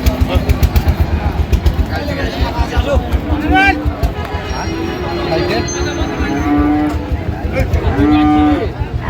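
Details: Sahiwal bulls at a cattle market in Comilla, Bangladesh, on 9 January: short, low, steady moos at about three and a half, six and a half and eight seconds, under constant male bargaining talk and a busy crowd.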